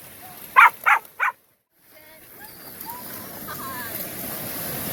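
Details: Three Australian Shepherds on a Sunday beach outing, the day all three first swam in the ocean: three short, loud barks in quick succession in the first moments, then quiet surf-like hiss, a few faint chirps and a voice praising the dogs.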